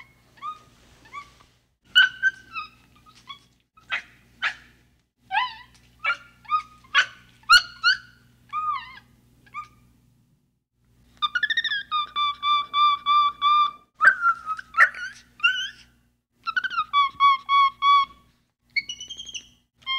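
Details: Capuchin monkey calling in a loose series of short chirps and clear, bent whistled notes with harmonics. The notes come in irregular bursts, and a longer run of evenly repeated tonal notes follows a brief pause.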